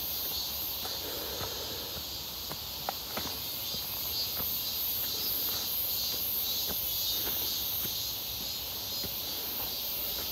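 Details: Near Seonbawi on a hot, clear day, 1 August 2023, cicadas fill the air during a walk: a constant thin, sizzling drone with faint pulsing overtones, while footsteps tap along beneath and one sharp click sounds.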